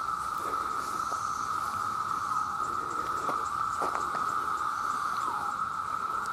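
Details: Mass chorus of male cicadas, millions calling to attract mates: a loud, steady, unbroken droning buzz at one mid pitch that holds without pause throughout.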